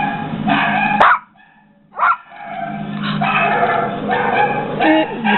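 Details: A Yorkshire Terrier gives sharp, high barks at a barking dog in a video playing on a computer, whose barking is heard from the speaker.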